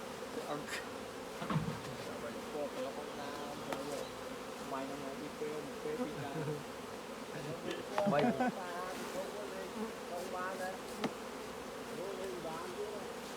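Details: Thriving honey bee colony droning in the hive as beekeepers take honey; a constant low buzzing, with brief higher whining tones and scattered taps and rustles of work on the combs.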